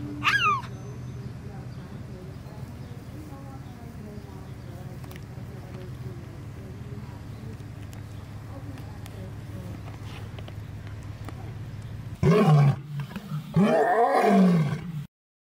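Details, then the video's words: A captive female cougar, rescued as a cub and now grown, gives a brief high chirp, then a burst of loud, bird-like chirping calls over a low hum. "Cougar Sounds at Turpentine Creek"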